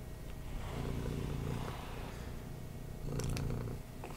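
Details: Female domestic cat purring indoors while being brushed: a steady, low, pulsing rumble with rhythmic vibration that swells and fades, and brief scratchy brushing strokes near the end.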